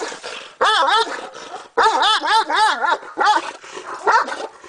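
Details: A ten-month-old Caucasian Shepherd Dog voicing three bursts of rapid, warbling yelps, each note bending up and down in pitch, with short silent gaps between bursts.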